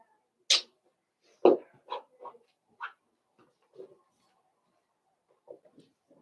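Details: Indoor puppy pen holding a litter of five Blenheim Cavalier King Charles Spaniel pups born around New Year's: a sharp high yelp, then a run of short barky yips roughly every half second, fading into soft whimpers.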